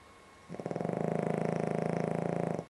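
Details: Ešli the dog sleeping and snoring: after a brief quiet moment one sustained, steadily pulsing rattling breath runs for about two seconds, with rapid evenly spaced vibrations throughout, recorded indoors.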